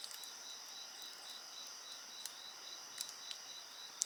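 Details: Continuous high-pitched insect chorus with pulsed trilling bands, accompanied by bonfire crackles and snaps scattered through the recording.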